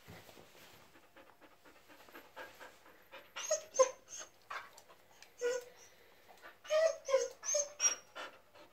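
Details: Yuki, a male Japanese Akita living in Germany, exploring a subway station in downtown Hannover; he gives a run of short, high, nasal whimpers in bursts, some rising squeaks clustered near the middle and end, over soft background noise.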